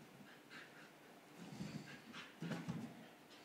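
An English Bull Terrier gives low, short grunting whimpers in two brief bursts.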